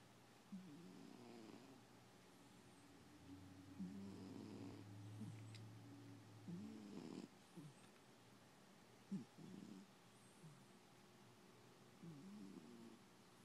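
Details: Sleeping domestic cat snoring, passed out: soft low rumbling snores with buzzy harmonic tones, coming in irregular bursts about a second long with quiet gaps, in a quiet room.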